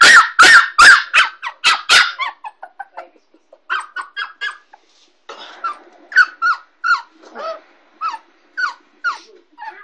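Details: A Kooikerhondje puppy, 6.5 weeks old, in her crate at home for the first time. A few loud barks come first, then a long series of thin, rising and falling whimpering yips repeated roughly twice a second, indoors.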